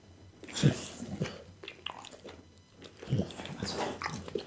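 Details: Close, ASMR-style chewing by Bounce the pit bull on raw food such as lamb spine and beef kidney. Two bursts of crunching bites come about two and a half seconds apart, with softer wet mouth sounds in between.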